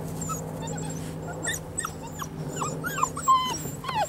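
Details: Young Poodle puppies, five weeks old, play outdoors and get used to new sounds, giving many thin, high whimpers and squeaky yips in an irregular scatter, with a steady low hum underneath.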